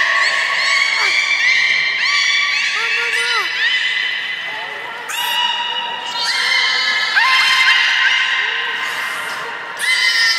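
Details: Belugas at Nagoya Port Aquarium on 16 March 2019, during a curious fish-feeding session and the play time afterward. Layered harmonic whistles and squeals overlap steadily, with short upward and downward sweeps and occasional broadband bursts.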